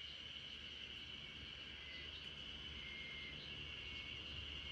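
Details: Spring cicadas chorus in a backyard while RunRun, a Great Pyrenees, falls asleep to them as a lullaby; a steady, high, even drone holds unbroken throughout over a low background rumble.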